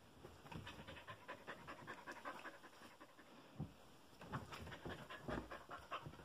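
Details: Continuous rapid panting from a happy puppy, breathy puffs repeating unevenly throughout, with occasional louder huffs and low rumbling thumps.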